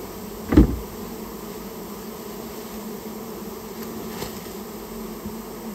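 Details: Japanese honey bees, a rare colony nesting inside a storehouse, being removed: a steady low hum with stacked overtones, broken by one sharp knock just after the start.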